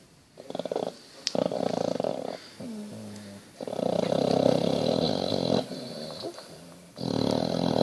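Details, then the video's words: Sleeping Basset Hound snoring indoors, with long rough breaths in a broken rhythm, several loud stretches alternating with quieter gaps and a brief low rumble in between. "Snoring basset"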